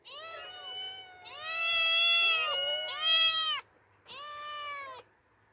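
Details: Two orphaned young female cats meowing as they explore open nature for the first time; long drawn-out harmonic meows, rising then falling, three in close succession followed by a shorter fourth after a brief pause.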